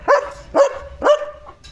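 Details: German Shepherd dog barking to alert that another dog has come outside, on a farm; three sharp, harmonic barks about half a second apart, each with a quick rising onset and a steady tonal tail.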